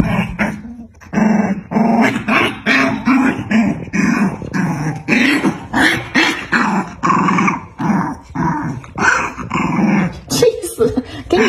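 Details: Snarling fight between a black dog and a white dog; continuous rough growls pulse in rapid succession, gritty and broadband, with occasional higher yelps breaking through.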